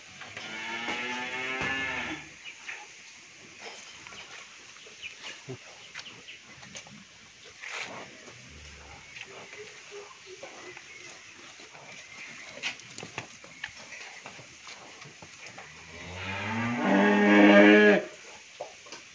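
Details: Pair of pure-bred Sahiwal bull calves over seven maunds in weight, on a dairy farm at Bhangura, Pabna, Bangladesh; a throaty moo opens, then a long quiet stretch with faint knocks and shuffling, and a loud second moo near the end.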